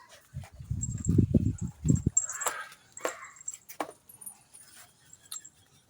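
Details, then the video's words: Imported Labrador Retriever puppy named Sassy gives a quick run of low, rough grunting bursts over the first two seconds, followed by scattered knocks and faint high ringing tones in the background. "lahing labrador tutang SI sassy"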